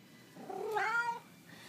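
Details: Indoor Siamese cat, hungry, gives one soft, brief harmonic meow that rises slightly and fades, with quiet room background.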